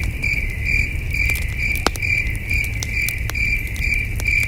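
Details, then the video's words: Crickets chirping at night beside a campfire at a wilderness campsite under a starry sky: a steady high trill pulsing about twice a second, with sharp crackles and pops from the fire and a low rumble beneath. "Soothing Cricket Sounds"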